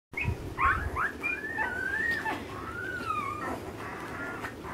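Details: Ten-day-old Alaskan Malamute puppies in a litter, looking for their mother. They give thin, whistled whines that slide up and down, some drawn out over a second, repeated with short breaks over faint background rustle.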